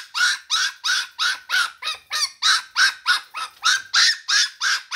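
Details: A single Shiba Inu puppy cries at 5 a.m. for its mother. Loud, high, strained yelps repeat about three times a second in a steady, insistent run of sixteen or so cries, with no other sounds behind them.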